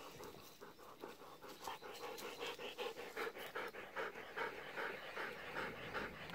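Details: Golden Retriever on an evening walk, pleading for persimmons not yet ripe; steady rhythmic panting, quick breathy puffs at about two and a half per second, fairly even throughout.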